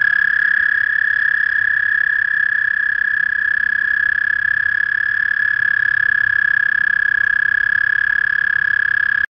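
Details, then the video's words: Spring toad chorus from a small pond out back: a single high, level, continuous trill drones on for over nine seconds without a break, with nothing else clearly heard. "Sounds of spring - Toadies"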